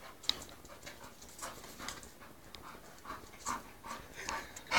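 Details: Female English Bull Terrier close to her second season, meeting a male dog: quick, breathy panting bursts repeated in an uneven rhythm over a noisy indoor background.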